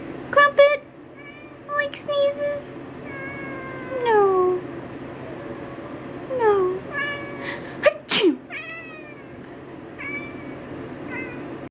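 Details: A two-year-old calico howls at repeated human sneezes; she gives a series of clear, drawn-out meows that slide downward, roughly one every few seconds, with one loud sneeze in the middle.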